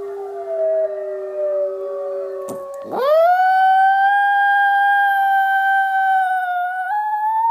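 An Italian Greyhound answers a recorded wolf howl with a long, drawn-out howl. The voice scoops sharply upward, then holds a clear, wavering tone for several seconds before lifting slightly at the end.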